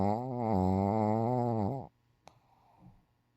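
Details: Shih Tzu named Dungi, since passed away, sprawled out in deep sleep indoors; one loud, drawn-out harmonic snore with a wavering, buzzy tone lasting almost two seconds, then a soft click and quiet breathing.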